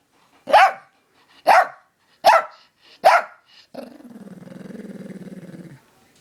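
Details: Reacting to a dog whistle above the range of human hearing, a friend's dog fires four loud barks spaced under a second apart, then settles into a sustained low, throaty growl lasting about two seconds.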